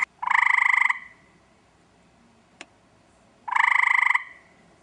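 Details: Eastern gray treefrog calling for a mate in a backyard: two loud, rapid musical trills, each lasting under a second with fast pulses, separated by a pause of about two and a half seconds, with a single faint click between.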